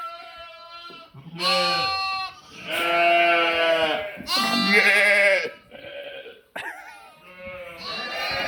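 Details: Sheep with lambs, 11/5/2026, calling in a run of about five bleats of differing pitch and length, some overlapping, separated by short quiet gaps.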